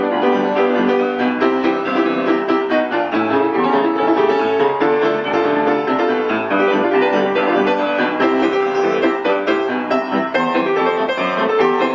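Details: Continuous classical-style piano with some violin fills the recording, with no animal voices.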